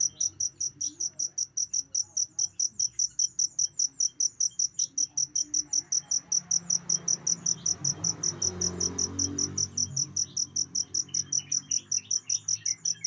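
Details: Chirping cricket, recorded for teaching captive songbirds: a bright, high, pulsing chirp repeated at an even fast pace of roughly two and a half per second, over a soft low hum that swells midway.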